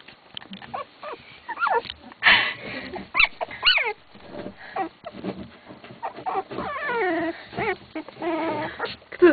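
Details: Several Wolfspitz (Keeshond) puppies from a B litter give thin, rising squeaky whimpers and short yelps scattered through the recording, mixed with shuffling and a person speaking.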